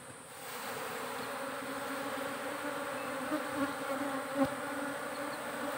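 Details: Steady, buzzing drone from a kept honey bee colony in its hive box. The hum holds two even pitched bands, swells a little toward the end and shows a few soft clicks.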